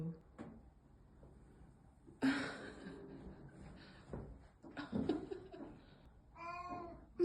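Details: Black cat Mieko, upset after a housemate moved out, gives a short plaintive harmonic meow near the end amid indoor noises and soft human voices.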